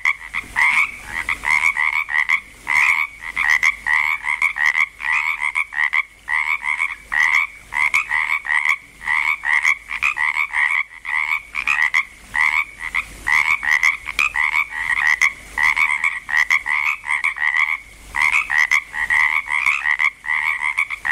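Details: A longer stretch of frogs croaking together in Langlois, Oregon, just getting going. Rapid, raspy double-toned croaks repeat continuously from several callers, with short breaks and a slight lull near the end.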